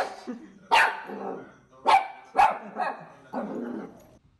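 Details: Dachshund puppies at play give four sharp, harsh barks over about four seconds, the second and third close together, the last softer and more drawn out, each fading into a brief rough tail.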